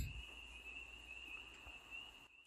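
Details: Spring peepers call outside a cabin at night, their high peeps blending into a steady, ringing chorus.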